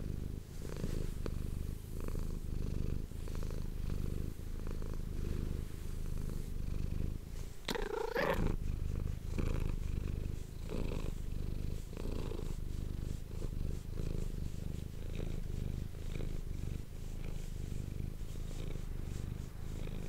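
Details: Manis, a domestic cat, purring indoors, close to an ASMR microphone. A low, steady rumble pulses with each breath. A brief rustling burst interrupts it near the eight-second mark, and then the purr carries on.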